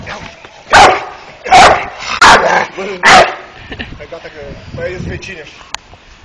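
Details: Four loud, evenly spaced barks from a five-month-old Dogo Canario named Malt come roughly every three-quarters of a second, followed by a few seconds of quieter background sounds and low voices.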